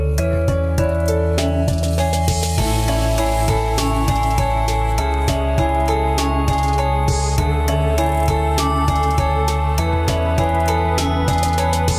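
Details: Soft instrumental background music with sustained tones and plucked, guitar-like notes plays throughout, with no animal sounds audible.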